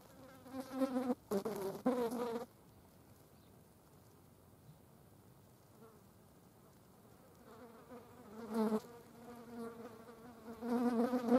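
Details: Green bottle flies busy on a dead mouse, their wings giving off humming, harmonic buzzes in two clusters, an early choppy series of bursts and a longer wavering drone near the end, with a quiet pause between.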